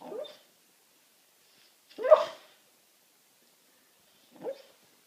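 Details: Pet dog asleep on a sofa, trying to bark at something in its sleep: three soft, stifled barks spaced about two seconds apart, the middle one loudest and rough, in a quiet indoor room.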